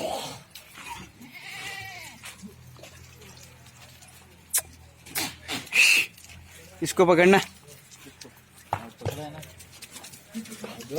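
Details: Goat at a farm in Ajmer, Rajasthan, giving a single wavering, quavering bleat of about half a second, surrounded by bursts of human speech and other voices nearby.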